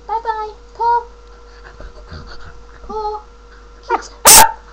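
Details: Female Samoyed, a pet doing tricks on command, giving short, high, bent whining yelps spaced a second or two apart, then a loud sneeze-like burst, over a steady background hum.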